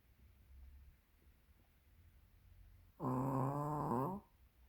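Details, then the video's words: Chubby Pomeranian asleep indoors, snoring: after quiet breathing, one drawn-out, buzzy, low-pitched snore with rich harmonics lasts just over a second, then fades back to near silence. "코골이 토리/포메라니안"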